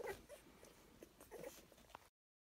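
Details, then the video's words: Puppies at feeding time whimpering and yipping in short squeaky bursts, a few rising whines among soft clicking and chewing noises, ending in silence. "Puppy Feeding Frenzy"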